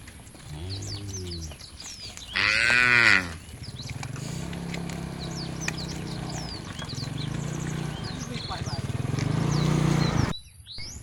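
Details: Cows of a tame herd walking to a field near the forest: a low, deep moo, then a louder, higher bellow, followed by a long low droning hum and scattered bird chirps.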